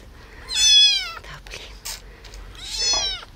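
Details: Abandoned baby kitten saved from a street box gives two high, strained meows that slide downward, about two seconds apart, with soft handling noises between them.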